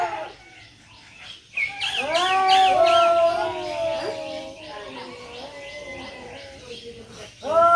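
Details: Two cats fighting in Noldanga village, a rural setting: quavering, harmonic caterwauls with bent, sliding pitch, some overlapping, easing into a sustained moan, and a fresh yowl rising at the end.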